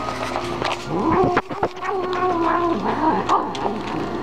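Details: Mother cat warning nearby dogs away from her food, making a steady low growling moan that wavers up and down, broken by a few short sharp clicks.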